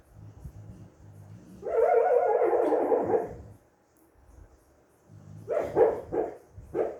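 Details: An American Bully named Mia whines and makes muffled, yelping sounds in her sleep, in short bursts, possibly while dreaming.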